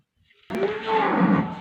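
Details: Friesian cow offered for sale in Pakpattan, Pakistan, giving a single drawn-out moo that starts after a half-second of near silence and holds a steady low tone for over a second.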